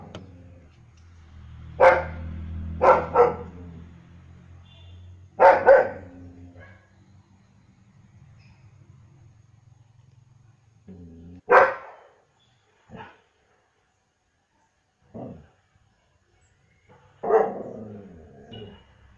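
A German Shepherd barks in sharp, powerful bursts, some single and some doubled. Quieter gaps fall between the barks, and a low background rumble fills the first part.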